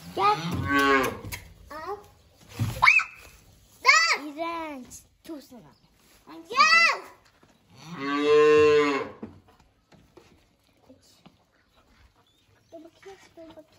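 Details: Calves mooing at feeding time: a series of loud, harmonic-rich moos, some short and some drawn out, with a long sustained moo near the end and quiet pauses between calls.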